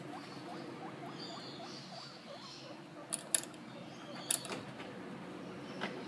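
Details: Guinea pig named Monty playing with a toy in a temporary cage, giving soft, quick repeated squeaky calls through the first seconds, followed by sharp clicking rattles from the toy.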